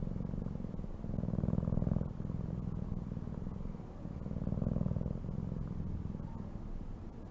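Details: Close, rumbling purr from a cat, the deep buzz pulsing rapidly while its loudness rises and falls in long breathing cycles about three seconds apart.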